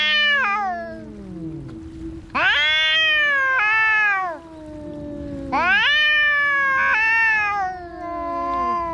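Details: Fighting domestic cats trade loud, wavering caterwauls in three long bursts, each starting sharply and sliding downward, with a lower continuous growl-like tone running between them.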